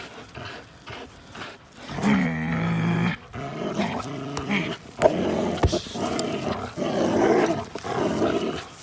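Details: Linus the American Pit Bull Terrier and Buddy the blue Belgian Malinois cross playing, April 1, 2019; a deep tonal growl around two to three seconds, followed by rough, noisy snarls and scuffles.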